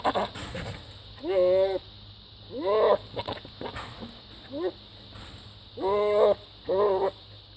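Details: A goat making bizarre noises: five harsh, harmonic bleats of about half a second each, some wavering, spaced irregularly over several seconds against a steady low hum and faint background noise.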